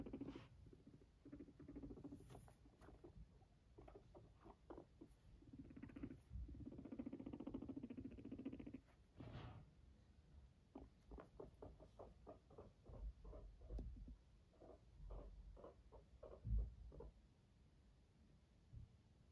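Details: A fluffy guinea pig purrs next to its owner in a low, soft, vibrating rumble, broken by quick clicks and rustles.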